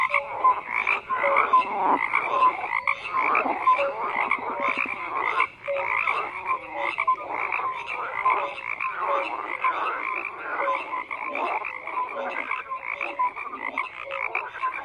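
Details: Frogs croaking en masse, a continuous chorus of rasping, repeated croaks with scattered short piping notes, loudness rising and dipping but never stopping.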